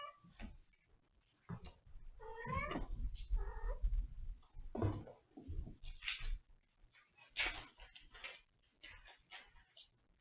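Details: A domestic cat gives a drawn-out, falling meow with layered overtones, set among rustling, thumping handling noises and short bursts of clatter.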